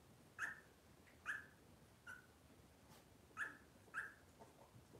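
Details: Robin's Cavalier King Charles Spaniel puppies whimpering in a kitchen on a cloudy Monday morning: five brief, high-pitched whimpers come at uneven intervals, two close together near the end, against quiet room hiss.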